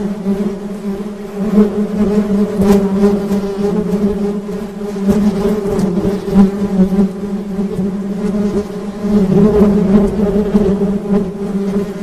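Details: Honey bee buzzing forms a dense, unbroken low drone that grows louder toward the end, dotted with brief sharp clicks.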